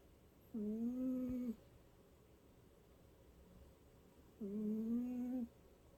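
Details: Sleeping cat snoring softly: two steady, hummed nasal tones of about a second each, separated by a four-second pause of near quiet.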